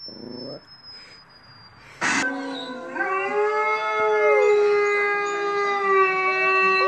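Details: Pet Rottweiler howling in reaction to TV sounds played indoors, with a Chihuahua joining in. After quiet indoor hum and a sharp burst near two seconds, a long, steady, harmonically rich howl starts and holds to the end, dipping slightly midway.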